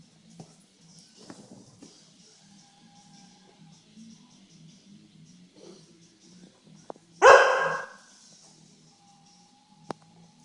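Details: Adult Siberian Huskies at play with a Siberian Husky puppy. One sudden, harsh, noisy bark bursts out near the end of a quiet stretch. A faint low hum and scattered soft thuds are heard around it.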